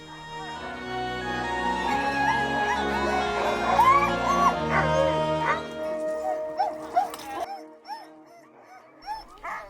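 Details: About 60 Siberian Husky sled dogs at a husky farm near Karasjok in far northern Norway bark and howl together, with wavering, rising and falling howls over steady background music.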